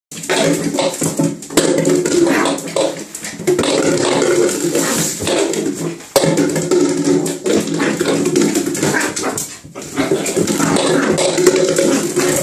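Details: A Pembroke Welsh Corgi in a bathtub gives long, wavering, howl-like moans and grumbling whines almost without pause, broken by a few short gaps, echoing off the hard walls of the small room.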